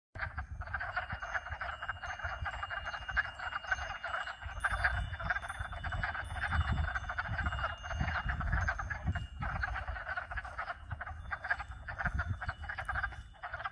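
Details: Frog chorus of at least two and perhaps four species: dense continuous trilling croaks filling the mid range, with faint wind chimes tinkling above, wind rumble and a steady hot tub pump hum underneath.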